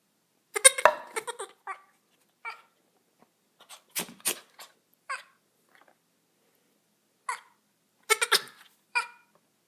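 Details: A little goat gives short, nasal, wavering bleats in scattered bursts; its owner wonders whether it is trying to talk to them.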